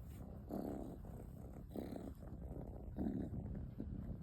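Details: Snoring from a sleeping kitten: short, rough, low-pitched breathing bursts, three to four within a few seconds, against quiet indoor surroundings.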